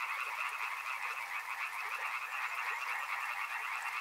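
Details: A loud, dense chorus of frogs, fast overlapping croaks merging into a continuous buzzing wall of sound with occasional brief louder pulses.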